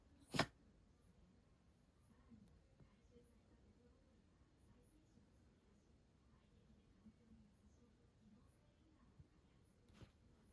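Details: Shiba Inu Hana indoors, caught in a fit of sneezing she can't stop: one sharp, explosive sneeze bursts out at the start, then near-silence in a quiet small room until a second, softer sneeze at the end.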